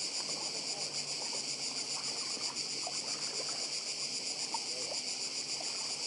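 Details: High, relentless buzzing of cicadas on Badija, Croatia, rapid and even with slight pulsing, while a quiet sea wash and faint clicks sit far below.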